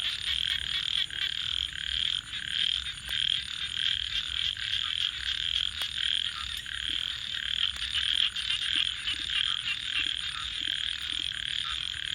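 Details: At night near a campfire, a thick unbroken chorus of frogs trills high and steadily, while sharp snaps of crackling fire punctuate it now and then.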